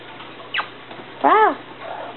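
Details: Japanese Chin puppies from the Niko x Pixie litter, recorded 30 November 2013: a short faint rising squeak, then one loud arched whine that rises and falls with rich harmonics, while a person nearby coaxes them to say hi.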